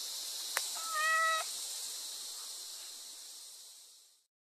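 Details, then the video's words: Kitten meowing: a single clear, slightly rising mew lasting about half a second, with strong harmonics, after a sharp click, over a steady high-pitched hiss. "Funny Cats Kittens Meow"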